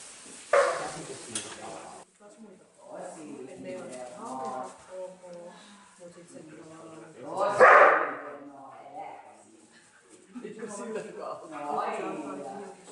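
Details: Neo, a young dog on his first day herding sheep, barks because the stick annoys him, not at the sheep. Two sharp, loud barks come about seven seconds apart, with Finnish-speaking voices talking throughout.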